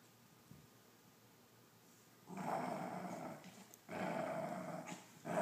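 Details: Angry pet dachshund defending his treats: quiet room, then two long, harsh, throaty growls, the second louder and sustained, with the start of a third at the end.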